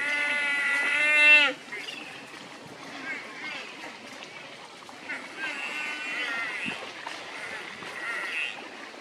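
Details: A buffalo that has lost its mother swims and cries while searching for her. A loud, steady, harmonic cry opens the recording and breaks off sharply after a second and a half. Fainter, wavering calls follow over splashing water.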